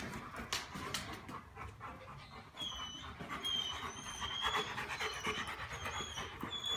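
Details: A male Rottweiler, apparently nicknamed "macho", pants in quick, breathy bursts, with thin high whines slipping in partway through; dated Dec 16.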